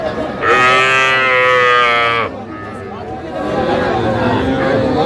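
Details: A young calf at a Dhaka cattle market, where a farmer is buying small bull and heifer calves, bellows one sustained, level, nasal moo of nearly two seconds, then buyers' chatter and traders' voices take over.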